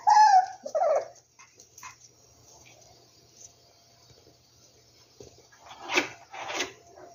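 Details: Rescued dog in a small indoor room giving two drawn-out, falling whines in the first second, then near silence with soft rustling and two broad scuffing noises near the end.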